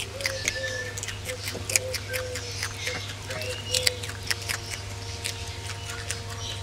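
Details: Ring-tailed lemurs eating a meal, with dense crunching and clicking bites, brief faint squeaky tones among the chewing, and a steady underlying hum.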